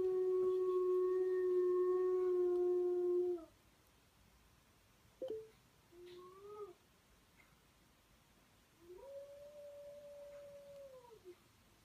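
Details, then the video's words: Domestic dog howling in a small room: a steady sustained tone lasting about three seconds, then silence, broken by short rising whines and a final arching howl. "a dog Howling"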